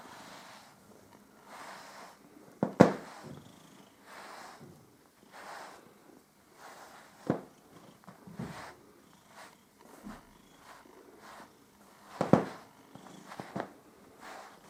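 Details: House cat Püppi enjoying fur grooming, purring in gentle rhythmic pulses indoors, interrupted by several sharp clicking or tapping noises from the grooming.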